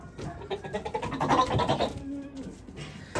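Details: Breeding buck goat on a farm, released among the does, calling loudly after catching the scent of a doe, possibly one in heat; a harsh, harmonic bleat swells mid-clip and then fades, with rustling and scuffling farm noise around it.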